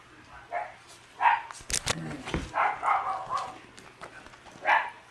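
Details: Female red Shiba Inu puppy, born June 23, yapping in short high barks scattered over five seconds, with loud knocking and handling noises breaking in between the yips.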